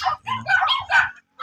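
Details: American Bully during a stud mating session at Imbalbalatong, Pozorrubio: a brief run of high, tonal whining yelps, rising and falling in three bursts over about a second, then a short final cry.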